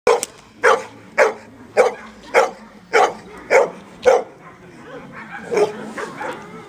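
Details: Amba, a Labrador Retriever, barking during defence training at Freedog: a run of about eight loud, sharp barks at a steady pace of roughly one every 0.6 seconds, then a few fainter barks trailing off.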